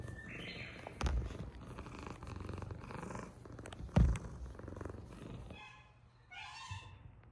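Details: Cat at a shelter in Japan set up inside a closed-down school building; a low, steady rumbling purr runs throughout, broken by two soft thuds and a brief higher-pitched sound near the end.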